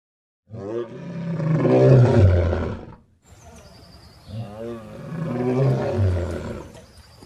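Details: Lion roaring: two long, deep, rasping roars of about two and a half seconds each, swelling in loudness and then fading, separated by a brief pause.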